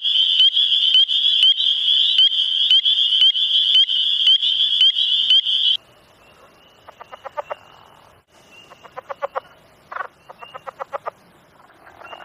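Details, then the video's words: Frog mating call: a loud, fast buzzing trill of rapid pulses for about six seconds, then quieter bursts of rattling croaks repeated in short series, with no other sounds. "Frog mating call"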